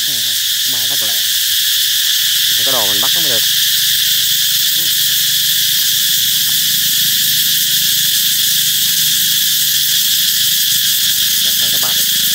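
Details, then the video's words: Cicada song heralding the approach of summer, a dense continuous high-pitched droning buzz, overlaid early on by several short lower wavering harmonic sounds, possibly voices, then steady buzzing to the end. "Ve sầu hót vang báo hiệu mùa hè sắp đến"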